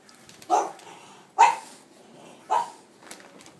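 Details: French Bulldog puppies, three cream males born 12.4.23, indoors: three short, sharp yapping barks about a second apart, each a bright burst with a quick fade, over a quiet room hiss.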